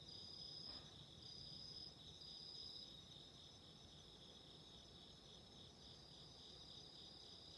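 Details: Night-time-style chorus of autumn insects by candlelight, high even trills held without pause, with intermittent short higher-pitched strokes early on and a quiet low hiss and crackle.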